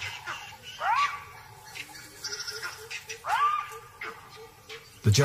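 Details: A jackal gives sharp, rising yelping alarm barks, with a narrator's voice in the background. Vervet monkeys in the distance echo the barks, and the calls alert a leopard to danger from the direction of her den.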